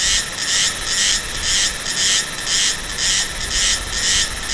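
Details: A Meimuna cicada in Taiwan, recorded in November–December, sings loud hissing buzzy duck-like quacking pulses, about two each second, in a regular rhythm that sometimes slows and sometimes quickens.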